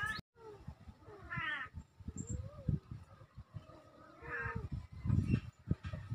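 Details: Two kittens mewing, recorded October 17, 2024: a few short rising-falling mews scattered over a low rumbling background of handling or movement noise.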